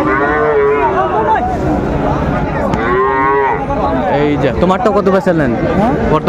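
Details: At Raniganj market in Dinajpur, 26 December 2024, Friesian and crossbred bull calves up for sale give several long, bending moos one after another, with people talking close by throughout.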